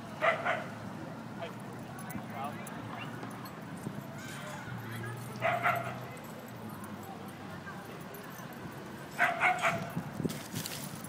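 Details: Basenji dog uttering three clear bursts of ringing, harmonic yelps, each a quick cluster of two or three notes, with long quiet gaps between them and a faint low hum behind.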